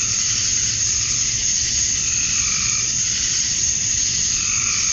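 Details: Chirping male cicadas at summer dusk in Georgia, USA, singing to attract females; a continuous piercing high drone with faint, slower rising and falling pulses underneath.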